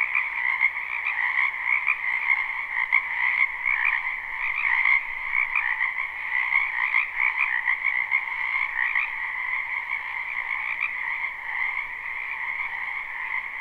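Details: Massed croaking of wetland frogs in spring, a live recording: a constant trilling chorus pulsing roughly twice a second in loose, uneven rhythm, with louder swells in the first half.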